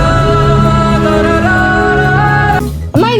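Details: Loud sung music with steady held tones, ending in a brief abrupt break and a sliding vocal note; no animal sounds are heard.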